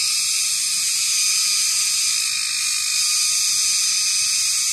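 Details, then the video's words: Cicada, known locally as kagang, a large blue insect clinging to tall trees, heard at 6 pm in the dry season; a loud continuous high shrill buzz without breaks throughout. "Huni ng kagang"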